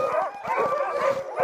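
A pack of sled dogs barks and yelps together in an excited, overlapping chorus.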